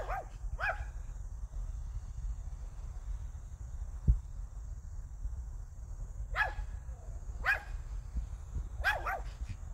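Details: Hiku, a pet Pomeranian, gives quick high yaps: a pair at the start, then three more clustered near the end after a quiet gap, with constant low background rumble and a thin high-pitched hum.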